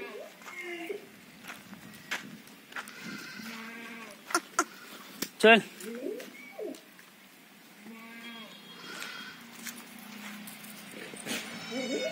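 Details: Jamunapari goats on a state goat farm bleat repeatedly, short nasal quavering calls from several animals spread through the clip, with one sharp loud burst near the middle and scattered knocks and clatter.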